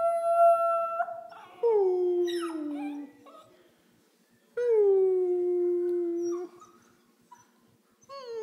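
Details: Eleven-week-old Pembroke Welsh Corgi puppy Pandora mimics her owner's howl. A steady tone gives way to two long, sinking, wavering howls about three seconds apart. The room is otherwise quiet.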